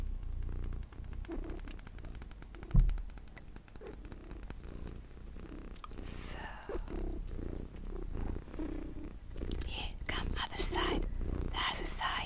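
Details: Close-up of a mini house cat purring, a fast, even throbbing hum in the low range, with quiet whispered speech and light handling noises drifting in and out.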